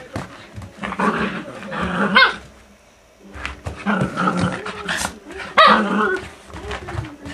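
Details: Maltese dogs, a mother and her puppy, give short, sharp yips and barks in two bursts split by a brief quiet gap, with a few high squeaky notes; human voices can be heard faintly alongside.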